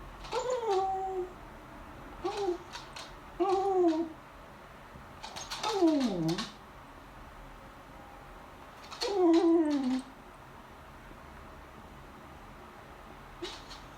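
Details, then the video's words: Female beagle begging at the table during lunch while staring at the family: a series of high, tonal whines and yelps, some rising then falling, others sliding down into a low moan, in bursts with quiet gaps in an indoor room. "Cute beagle begs at the table - She makes adorable sounds"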